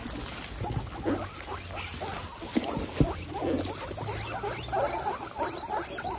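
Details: Group of 26 female guinea pigs at fresh vegetable dinner time, excited while feeding; soft short squeaks and chirps scattered throughout, with rustling and munching of vegetables and a low hum underneath.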